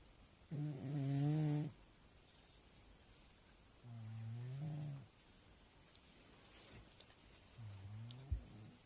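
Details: A fat house cat, fast asleep, gives deep rasping snores. Three drawn-out, throaty breaths, each around a second long, come at roughly three-second intervals, the first loudest and the last fading.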